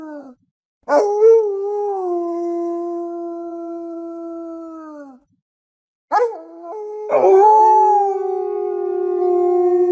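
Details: Forest wolf howls, used for communication within the pack: a brief opening note, then a long level howl that drops away at its end, a pause, and a broken, wavering second howl with overlapping voices.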